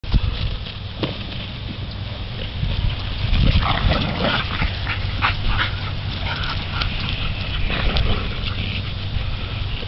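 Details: Several Chesapeake Bay Retrievers playing together in a morning romp; rough huffing, growling and scuffling bursts come and go over a steady low rumble, with no clear barks.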